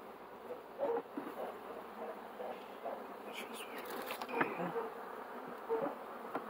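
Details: Honey bees giving a steady low droning hum with scattered louder buzzes, plus occasional clicks and handling knocks nearby.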